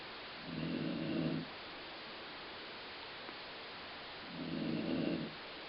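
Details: Colline, a dog, snores in a rough, low drone that resembles a growling stomach; two snores of about a second each, spaced roughly four seconds apart, with silence between.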